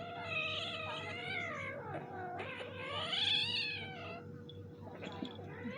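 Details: Domestic kittens fighting with each other indoors: drawn-out, wavering yowls with rising and falling pitch, overlapping cries through most of the clip, a brief pause near two seconds, a steady low hum underneath.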